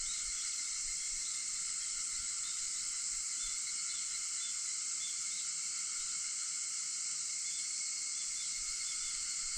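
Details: Early-morning cicada chorus recorded on August 4 at 4:50 a.m., an unbroken shrill hiss-like buzz holding at one level throughout, with several stacked tonal bands and no other clear sounds.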